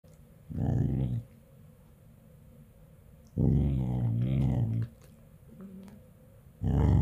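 A corgi 'talks' in low, wavering grumbles and moans, three drawn-out bursts with quiet pauses between.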